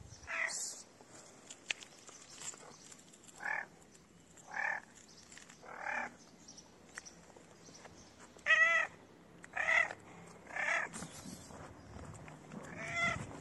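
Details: Dirty cat meowing to ask for food: a series of short, clear, harmonic meows, roughly ten calls at uneven intervals of about one second, with faint outdoor background hiss.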